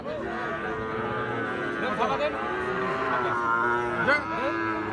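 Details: Cattle lowing at Ambari haat, a weekly livestock market in Bangladesh where Gir and Sahiwal bull calves are sold. A long, steady harmonic moo holds through most of the stretch, with crowd murmur and brief voices behind it.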